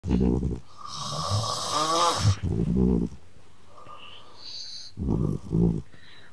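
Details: Ragdoll cat snoring at home, its snores said to trade back and forth with a man's snoring as if in conversation; three low, rumbling, pulsing snore bursts come roughly every two and a half seconds, with a breathy hiss between the first two.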